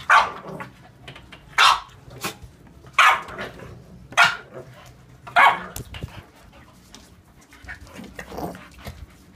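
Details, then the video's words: An English Bulldog and an Olde English Bulldog at play: a run of short, hoarse barks at irregular intervals, louder at first and fading to softer grunting yelps near the end. "english Bulldog Sunny vs. Olde English Bulldog Emma"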